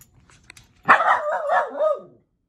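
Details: A miniature poodle barking at animals on TV gives a drawn-out, wavering bark-whine, rising then falling over about a second.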